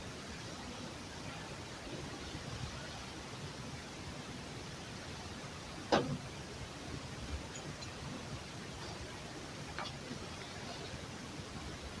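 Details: Quiet indoor hiss with two brief knocks near the middle and end, and no animal voice.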